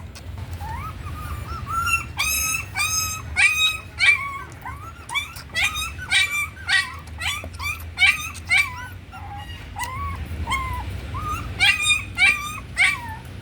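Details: A puppy said to be growing slowly on milk powder whimpers and yips in rapid, uneven bursts of high, rising-then-falling squeals, roughly a hundred a minute, with faint low hum beneath.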